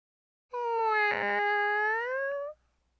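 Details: Lonely stray cat at the beach with one drawn-out, two-second meow, steady and harmonic, rising slightly at the end, with a brief faint rustle partway through.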